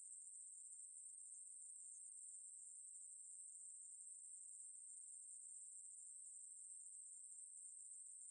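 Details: Ruspolia katydid (maebu-ri) from Korea's National Institute of Biological Resources collection, 2020: an unbroken, high, thin buzzing trill held at a steady pitch and loudness throughout, with no other sounds.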